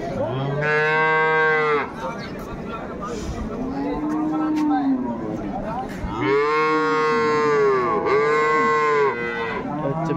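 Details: Cattle at Ambari livestock market near Dhaka, Bangladesh, among improved-breed dairy cows and calves for sale, dated 21 May 2024; long loud harmonic moos, one low then rising, three in ten seconds, with background chatter.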